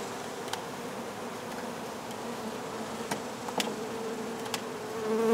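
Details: During a hive removal, many Western honey bees make a steady low hum, with a few sharp clicks and knocks.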